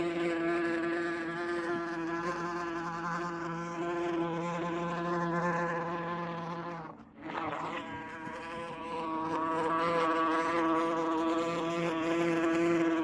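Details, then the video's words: Continuous humming buzz of a wasp, recorded with 8D technology, with rich layered overtones; the drone thins out briefly near the middle, then returns at full strength until the end. "WASP SOUND - WASP SOUND EFFECT - NOISE OF WASP"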